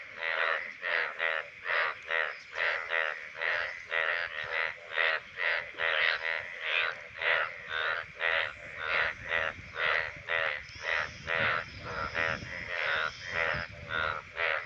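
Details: Indian bullfrogs calling in the rainy monsoon breeding season give loud, hoarse, pulsing croaks, about two each second, in a steady chorus.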